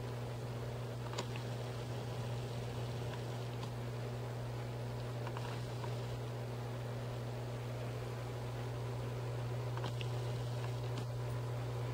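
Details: A steady low hum, like a fan, fills a quiet indoor room, with a few faint rustles and soft clicks and no animal calls.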